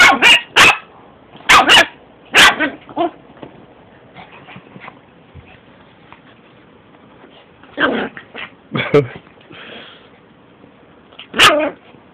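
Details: A small Yorkshire Terrier attacking a Shih Tzu in play-fight, sharp high yips and barks in bursts, clustered early, again near eight to nine seconds and once at the end, with quiet growly stretches between.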